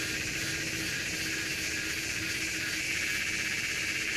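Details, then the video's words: Redeye cicada, Psaltoda moerens, calling: a continuous dense buzzing drone with strong high-pitched hiss, steady in loudness throughout, with a faint thin tone running beneath. "Circada, Psaltoda moerens"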